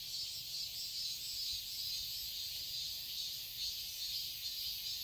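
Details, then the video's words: Summer garden in Seoul, Korea: a continuous high-pitched cicada buzz, even and unbroken, with gentle pulsing swells and nothing else prominent. "Cicadas chirping sounds"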